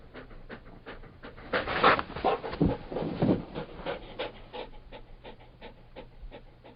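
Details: Labrador Retriever breathing hard, a run of heavy, raspy pants building early on, then lighter quick puffs trailing off.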